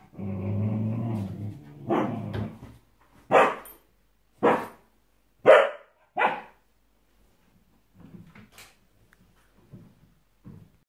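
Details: Sam, a Samoyed puppy, reacting to his own reflection in a mirror for the first time: a low grumbling growl, then four short, sharp barks about a second apart, fading to soft huffs and snuffles.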